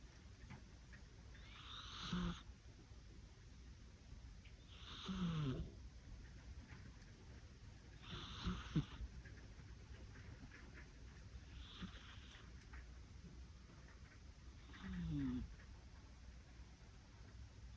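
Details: A cat snoring in its sleep, cute and soft: five faint raspy snores spread roughly three seconds apart, some weaker than others, over a quiet indoor background hum.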